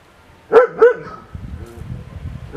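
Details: Male Caucasian shepherd dog giving two loud, deep barks in quick succession, followed by quieter rustling and low background noise.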